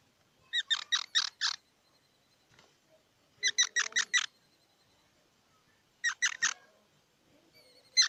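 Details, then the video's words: A squirrel calls in quick rattling series of four or five sharp, bright squeaks, with each volley separated by roughly two seconds of quiet; one last burst starts at the very end. "សំលេងដង្ហែន Squirrel 🐿️ Sound"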